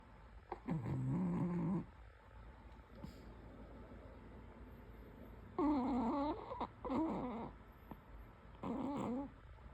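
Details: Pomeranian dog snoring while asleep: rough, rattling low snores in bursts about one to two seconds long, several separated by quiet pauses, the longer breaths carrying a droning, slightly wavering tone.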